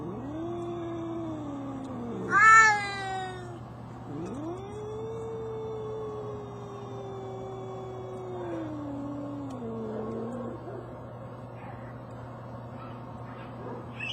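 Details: Two brother cats from the same mother arguing, trading long, drawn-out wailing yowls that bend up and down in pitch, with one sharper, louder cry, over a constant low hum.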